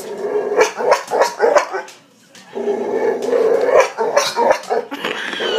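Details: Boxer dog left with a hiccup-like bark after kennel cough as a pup barks in rapid, stuttering bursts, pauses, then growls and barks again in choppy hiccuping pulses.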